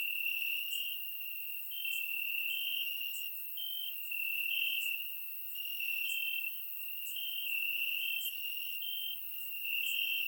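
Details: Night chorus of crickets in grass on a warm summer evening in Bulgaria, surround-microphone recording; a sustained high ringing trill, with a second caller pulsing in short bursts roughly every second and loudness rising and falling in waves.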